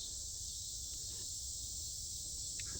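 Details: Mid-August night in 2025, south Chicagoland forest preserve, with cicadas extremely loud: a constant high, hissing buzz without pauses, a couple of faint clicks near the end, low background rumble.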